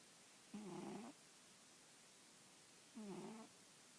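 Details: Female pet cat snoozing atop an old newspaper, snoring: two rough, wavering breaths about two and a half seconds apart, each around half a second long, in a quiet indoor space.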